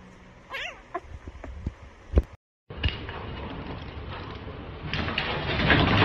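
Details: Domestic cat giving one short wavering meow, its pitch bending up and down, followed by a few sharp clicks, a brief silence and then a steady rushing background noise that grows louder.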